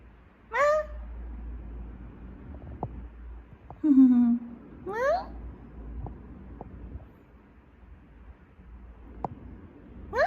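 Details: Kim Huchu, a house cat known for barking like a dog, lets out four abrupt calls over ten seconds: steep rising sweeps and one lower, flatter harmonic cry, each short and separated by silence with faint clicks indoors.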